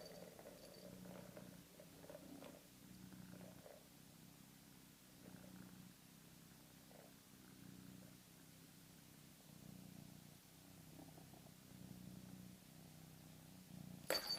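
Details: Male house cat purring beside his toy, a soft, deep rumble swelling and fading in regular breath-paced pulses about every second and a half, with a brief sharp knock at the very end.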